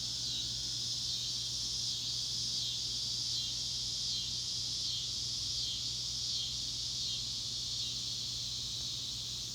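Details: A dense chorus of cicadas in the Ozarks of northwest Arkansas fills the air with a loud, high, unbroken buzzing drone; Cicada.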